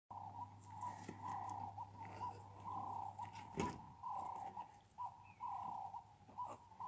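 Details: Captive meerkats at Cheetah Experience playing with ball pool enrichment: a run of steady mid-pitched calls, each about half a second long, repeated roughly every second, over a low hum with one sharp knock midway.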